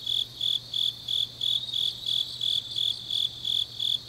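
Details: Autumn-night grass insect chorus from Changnyeong, Gyeongnam, Korea; short shrill pulses, roughly three each second, ring over a constant high buzzing background, with a faint steady low hum beneath.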